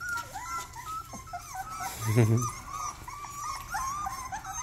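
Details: First barks of a young Rottweiler: short, high, squeaky yips with bending pitch, a few in a row, followed by a brief low thump and more thin yelps over a steady low hum.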